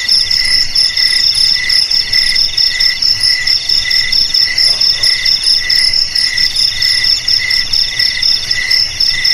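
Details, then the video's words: Several crickets keep up a bright, ringing trill in two pitch layers, pulsed and steady throughout, with a soft background hiss. "Suara JANGKRIK"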